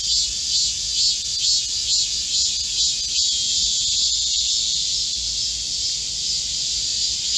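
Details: Korean cicadas singing together in a green forest at the height of summer, 25 July 2024, in a heatwave: bright high buzzing with gentle pulsing swells, loudness rising and falling slightly.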